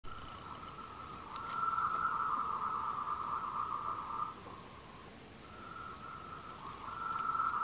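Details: Tree frogs give long, rapid pulsed trills near one pitch, courtship calls recorded on 26 April 2018 along the Wulong trail at Meiling, Nanxi, Tainan, Taiwan.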